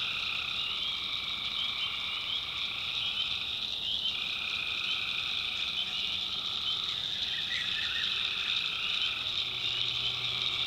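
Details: A nighttime North Carolina swamp filled with tree frog trills, long rolling calls that stop and start, plus a brief chirpy burst late on, all over a continuous high ringing drone.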